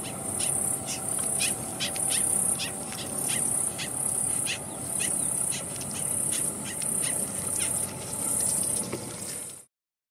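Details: A captive Udo longhorn beetle (Acalolepta luxuriosa luxuriosa), briefly caught after being found on a fallen castor aralia on a mountainside, squeaks in protest. Rapid high, rasping pulses repeat about twice per second, steady until an abrupt stop.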